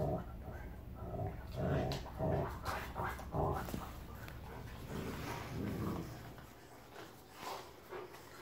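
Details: Zeus, a huge Rottweiler, playing with Kiya, a Rottweiler puppy, indoors; rough rumbling growls and scuffling bursts come in uneven waves, with a person talking nearby.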